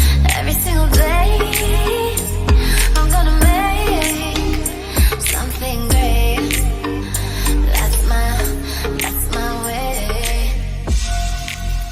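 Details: Loud pop music with a singing voice, heavy bass and a steady beat throughout.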